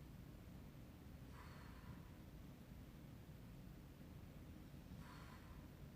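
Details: A sleeping puppy snoring: two soft, breathy snore bursts about three and a half seconds apart, each airy and short, over a steady low hum.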